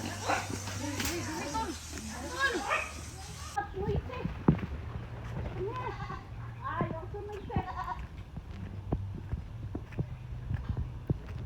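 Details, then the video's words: Domestic goat that is about to be slaughtered, described as angry and wanting to fight: wavering, nasal bleats repeated through the opening seconds, mixed with a man's talking, laughter and a steady low hum. "The Noisy Goat 🐐 isn’t ready"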